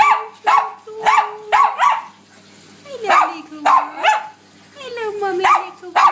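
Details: Bichon Frise dogs singing, several yelping howls in quick succession followed by longer sliding tones that drop then level off, loud and close.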